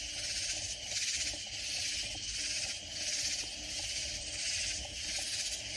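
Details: Strong, regular katydid chorus near San Antonio, Texas Hill Country; harsh high buzzing swells in even pulses about once a second, clean and dominant with little other sound.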